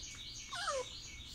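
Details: A brief, thin whine that slides downward in pitch from Blondie, a Chihuahua mix, as she is encouraged to jump up indoors, over steady background hiss.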